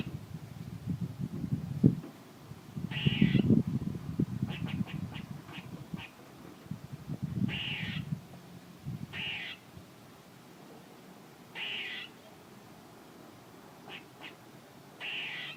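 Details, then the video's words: A squirrel gives repeated rasping, buzzy calls in an irregular series, each about half a second long, mixed with short clicking chips. Heavy low-pitched rumble and handling noise fill the first half. "A squirrel making noises"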